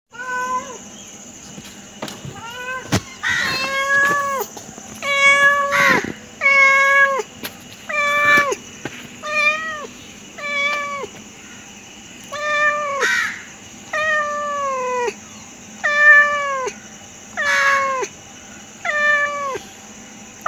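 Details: Domestic pet cat giving a long run of insistent meows, roughly one every second and a half, each a clear harmonic cry that drops sharply at the end, over a faint steady background hum.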